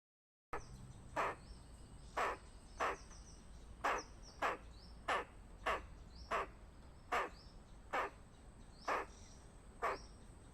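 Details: Squirrel giving a warning of danger: harsh, short, noisy chucks repeated roughly every three-quarters of a second in a steady series, with faint high rising chirps in the background.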